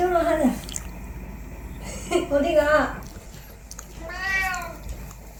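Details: Indoor cat at home, heard in three drawn-out meows with clear stacked harmonics, the last one arching up and then falling, while a person talks softly in between.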